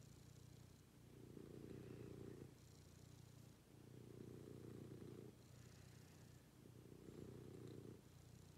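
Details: Pet cat purring during a morning routine with its owner; a low, rumbling purr swells and fades in regular cycles of about three seconds, each breath clearly audible, in a quiet room.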